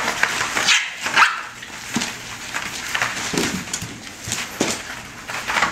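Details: Litter of 5½-week-old bulldog pups, offspring of Rocko and Teerza, in rough play and mock fighting; short sharp yips and small barks come in scattered bursts amid scrabbling, clattering paws.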